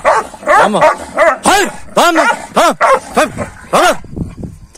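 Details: Kangals squabbling among themselves in the morning after being fed a rabbit overnight: a string of loud, arching yelping barks, rising then falling in pitch, about two each second, tapering into lower snarls near the end.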